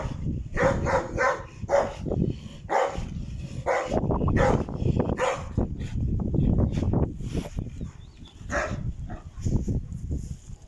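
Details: Heavy, low barking from a dog kept at a kennel of Caucasian shepherds, Alabai and Tibetan mastiffs, repeated rapidly and almost continuously for ten seconds, with occasional higher shouts and knocks over the top.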